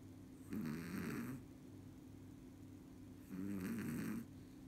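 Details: Chihuahua asleep, giving two long, gurgling snores about three seconds apart, each a rough, wavering rasp close to a person's snore, with quiet breathing and a faint constant hum in between.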